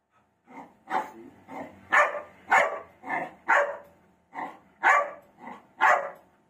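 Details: Black Labrador Retriever barking at its own reflection in a mirror: about eleven sharp, loud barks in quick, uneven succession, roughly one or two per second with short pauses, in a quiet room.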